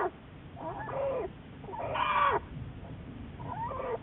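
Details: American black bear Juliet under study by Wildlife Research Institute researchers, March 1, 2014: three muffled, nasal wavering cries, the middle one loudest, against a constant low rumbling background.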